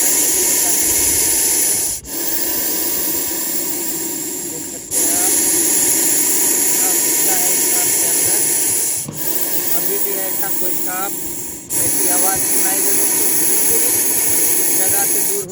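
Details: Rescued Russell's viper in Munger district, Bihar, coiled into an S strike pose and hissing in threat: loud rasping hiss sustained in long breaths with short breaks roughly every three seconds, while a man's voice speaks over it.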